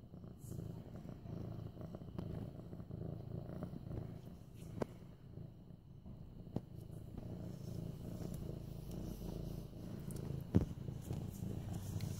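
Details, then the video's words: Mufasa, an almost 8-month-old medium-hair male orange tabby, purrs while being petted on September 28, 2015; a steady low rumbling throb runs unbroken throughout, with a few faint clicks and rustles. "Purring Mufasa"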